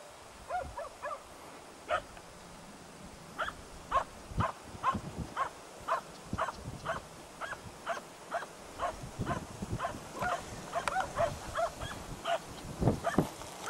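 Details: Baying at a dead deer, hunting dogs Prle and Pirana Janiorska at Salas, 8 September 2012: barks come in a quickening, fairly regular series, some doubled, over low rustling and thumps.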